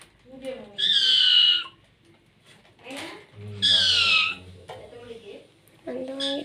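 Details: Domestic cat giving two drawn-out, high, harmonic meows that slide slightly downward. A person speaks softly in between and after, and another short call comes near the end.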